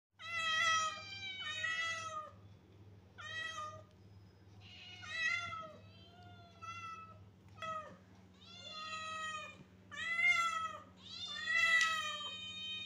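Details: Kittens meowing indoors: a rapid series of short, high, slightly falling mews, often several overlapping, roughly forty-four per minute, with brief pauses between bursts and a steady low electrical hum underneath.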